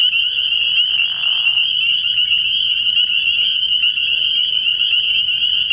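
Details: At night by a frogpond in early spring, a throng of spring peepers keeps up a constant high, ringing chorus of peeps, with a short lower noise burst around the first second.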